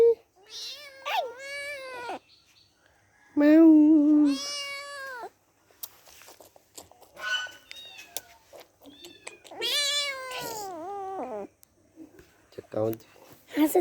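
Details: Several kittens playing with each other give repeated high meows, some rising then falling, a few long drawn-out cries, with short gaps and quiet Korean speech and handling noises between calls.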